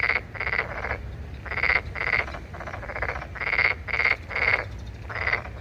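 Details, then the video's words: Chorus of rasping, pulsed croaks, possibly a Korean narrow-mouthed toad or a toad, each burst about half a second long, repeated roughly twice per second from several overlapping callers. "두꺼비? 맹꽁이? 소리의 주인공은¿"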